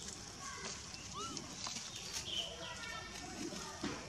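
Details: Baby monkey named Begal crying while its mother, Lemon, ignores it; short arched whimpering cries rise and fall, a few scattered through the clip, faint against steady outdoor hiss and soft background chatter.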